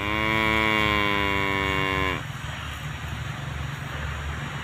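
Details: Tame cow grazing alongside calves, one long steady moo lasting about two seconds with a rich harmonic tone that cuts off abruptly, followed by a constant low engine-like rumble.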